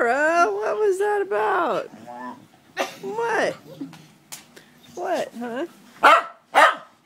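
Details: Pet dogs howling in chorus indoors as one misses its owner and the rest join in; a sustained wavering howl opens, followed by shorter sliding howls, yips and two sharp barks near the end.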